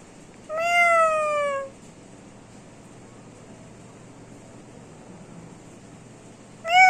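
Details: Domestic cat indoors giving a long clear meow that slides slowly downward and lasts over a second, then a second meow begins at the end after a quiet gap with faint room hum.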